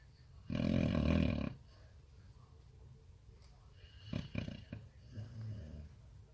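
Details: Samoyed, one of several kept together, snoring a lot: a single loud rough low snore lasting about a second, then quieter soft breathing snorts and faint rustling.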